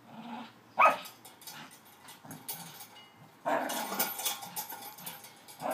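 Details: Staffy with his new Christmas spring pole, playing; a brief sharp bark, then quieter grumbling growls and a long rough growling stretch, over clattering from the pole.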